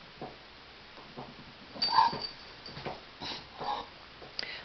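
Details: Sophie, a Bulldog from Michigan, gives a short, high, thin whimper midway, set among soft snuffles and sniffing breaths, with quieter snorts before and after over a faint steady hiss.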